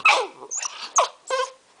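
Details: Jah, a seven-week-old blue Pit Bull puppy, yelps sharply, whines in high squeaky notes, then gives a short rough growling bark with a clear harmonic tone, several bursts packed within two seconds.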